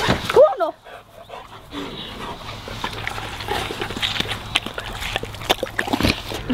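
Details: Labradors enjoying watermelon: a short, high, wavering whine at the start, then a steady run of moist crackling and chomping clicks as the dogs munch the fruit, close up.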